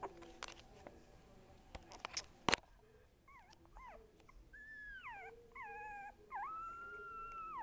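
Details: Young dog vocalizing at home: after a few knocks and clatters, thin, wavering whines rise and fall, then settle into longer drawn-out whimpering howls.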